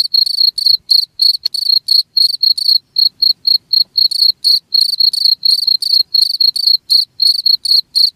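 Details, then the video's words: Cricket sound used to repel rats: a continuous run of bright, high-pitched pulsed chirps at roughly four per second, some slightly softer mid-way, over silence. "SUARA JANGKRIK"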